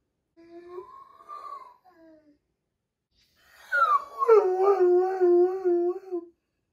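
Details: Large Doberman crying while its sister undergoes surgery, indoors: a short whining note rises and falls, then after a pause comes a longer wavering howl that starts high, drops, and trembles steadily for over two seconds.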